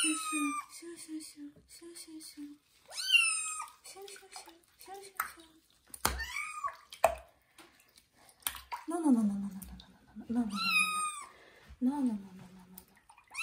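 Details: Loud meows from kitten Johnny during its first bath in a bathroom: several drawn-out, falling cries at irregular intervals, with a woman speaking softly in Russian and water dripping and splashing.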